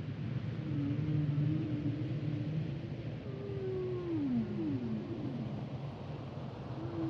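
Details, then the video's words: Quieter humpback whale song: a low wavering moan followed by a series of descending gliding tones that slide downward one after another, beneath a strong steady low rumble of water noise. "Sounds and Songs Of The Humpback Whales"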